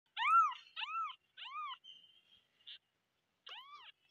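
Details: Kittens meowing loudly: four short, arched, high-pitched meows follow one another over the first two seconds. A brief pause follows, then a fifth meow near the end against an otherwise quiet background.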